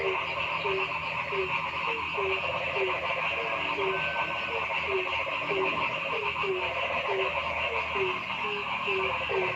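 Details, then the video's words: Forest frogs calling noisily: short, low, falling notes repeated roughly every half second over a dense, unbroken chorus of higher trilling calls. "Noisy Frog Sound in the Forest"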